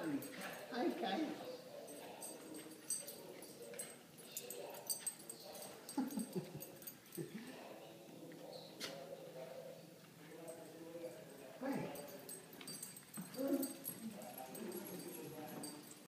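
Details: Puppies at play give high whimpering cries and short yips in scattered bursts, with people talking over them throughout.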